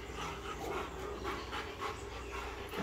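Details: American Bully named Akin during focus training, panting in soft, breathy bursts repeated about three times a second, faint against a steady background hiss.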